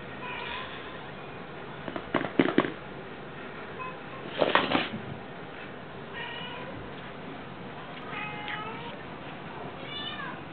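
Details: Cats at a cat shelter being fed minced meat. Several short, rising-then-falling meows come near the start and again around six, eight and ten seconds over a steady hiss, with two bursts of clatter near two and four-and-a-half seconds.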